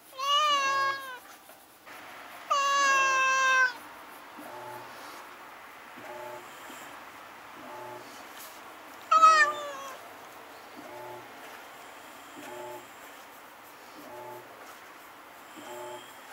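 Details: Two stray cats clash at night, filmed with a Nikon Coolpix S01. Three harmonic, whining yowls start the sequence, the second one long and sustained. Quiet follows, with faint, regular soft ticks in the background.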